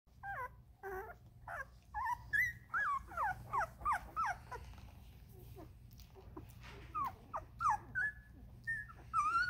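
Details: Vizsla puppies from Ruby's litter, 13 days old, giving rapid high whimpers and squeaks, many rising then falling, in irregular overlapping bursts of several calls per second over a steady low hum.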